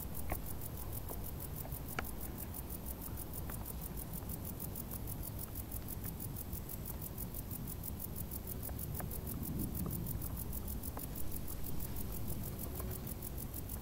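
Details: Crickets chirping from tall grass on a hot summer day: a rapid, even, high-pitched pulse train sustained throughout, with scattered sharp clicks and a low continuous rumble beneath.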